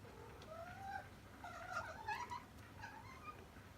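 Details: Tabby stray cat outside a house, seen from a window, giving quick, run-together meows: wavering rising and falling cries in a rapid chattering series, with steady low background noise.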